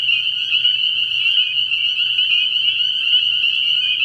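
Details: Spring peepers calling at night in early spring at a frog pond: a dense chorus of high, shrill peeps merges into a steady, ringing whine, with no pauses.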